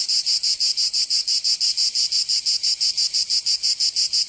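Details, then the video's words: Cicada song in summer, Provence, southern France: sharply pulsed buzzing bursts repeating about three times a second in a very regular rhythm. "Canto Cigarra 🦗 [ Escuchar les cigarras en verano 10 H]"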